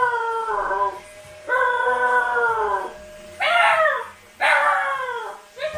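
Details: Husky puppies home alone howl in long, wavering cries, the first two level and sustained, the later ones starting high and falling sharply, with brief gaps between; soft music plays in the background.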